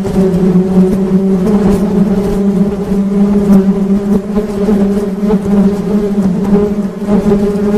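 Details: Continuous low hum of honey bees, a dense, even drone with layered overtones and small rises and falls in volume throughout.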